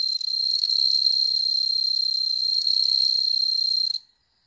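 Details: Home-bred bell crickets kept indoors in Hokkaido, observed by cats: a loud, clear, high ringing trill with fast even pulses runs for four seconds, then stops abruptly into silence.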